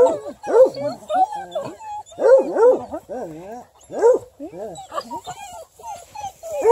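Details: Young female Bluetick Coonhound, ten months old and raised indoors, voicing wavering, rising-and-falling bays and whines in clustered bursts, with short gaps between groups.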